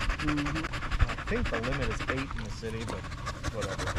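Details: A male Staffordshire Bull Terrier pack chatting during a long evening at the park: steady heavy panting underneath short, wobbling whine notes that twist up and down in the middle of the clip.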